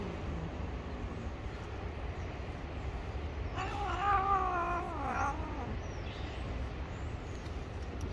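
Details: Gray stray street cat, angry and ready to bite if touched, lets out a single wavering, drawn-out yowl of about two seconds, rich in harmonics and rising and falling in pitch, over steady low traffic rumble.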